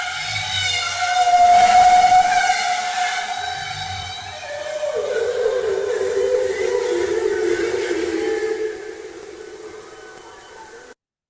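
A bowhead whale gives long, tonal moans, holding a bright note before stepping down to a lower, wavering tone.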